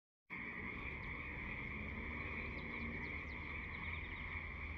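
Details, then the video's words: Many frogs calling together in a dense, unbroken chorus, a steady trilling drone layered with scattered short, high chirps, starting abruptly after a brief moment of silence. "Lots of Frogs"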